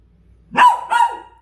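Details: Dachshund reacting to a puppy stuck beside an air conditioner: two short, sharp barks about a third of a second apart, the second slightly longer and trailing off, in an otherwise quiet indoor setting.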